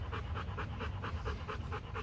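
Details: Rottweiler at a Vietnamese kennel during a breeding visit between champion male Loki and an imported female from Hưng Yên; fast, steady rhythmic panting, about four breaths per second, with no voices over it.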